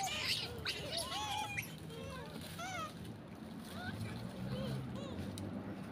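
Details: A southern pig-tailed macaque, described as the troop's father, gives a rapid series of short, clear calls, each rising then falling in pitch, some overlapping, over a steady low rumble like an engine or moving water.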